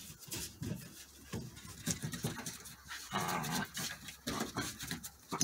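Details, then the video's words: Play-fighting Border Collie puppies growl low and whimper between bouts of panting and scuffling, with thumps and rustling from the tussle in a small room. "Vicious Border Collie Puppy Play Fight"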